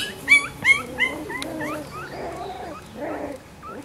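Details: Black-and-silver Miniature Schnauzer puppies born on 18 May: high, squeaky, upward-sliding whimpers come quickly, about three a second, then give way to softer, overlapping cries over a low background murmur.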